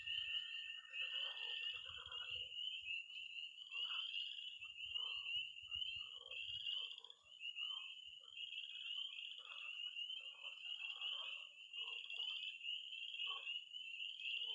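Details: Missouri pond on an early spring night: tree frogs peep in a dense, unbroken high chorus, a toad trill fades out early, and irregular short croaks from pond frogs dot the background, with low rumbles in the first seconds.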